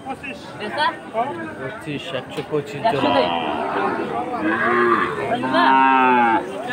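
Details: Sahiwal cattle, bull calves at a market in Jessore, Bangladesh; a drawn-out, harmonic moo rises late in the clip over crowd chatter and background voices.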